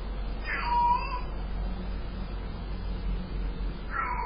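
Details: A Sphynx cat, filmed on a security camera, greets its owner returning from a 24-hour road trip with a drawn-out meow that rises and falls.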